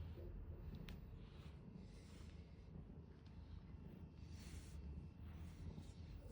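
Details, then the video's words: Purring from a big cat under the brush, a continuous low throb with faint brush swishes every second or so. "빗질하면 골골거리는 커다란 고양이"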